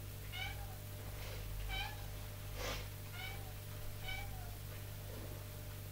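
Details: Mother cat calling and commanding her kittens while teaching them to climb stairs indoors: brief trilled chirp-meows repeated roughly every second, about five calls, with a constant low electrical hum and one soft rushing noise.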